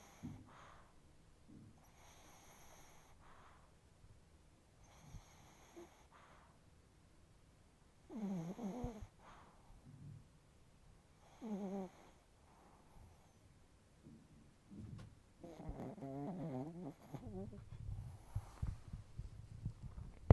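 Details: Sleeping Chihuahua, deeply asleep with a twitching nose, giving loud snores: soft breathing gives way to rasping, vibrating snorts around the middle and a long rattling snore near the end.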